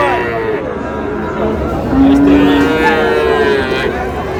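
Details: Friesian and crossbred bull calves for sale at Raniganj cattle market, Dinajpur, 30 July: two moos in close succession, the first low and level, the second higher and slowly falling, over market bustle and distant voices.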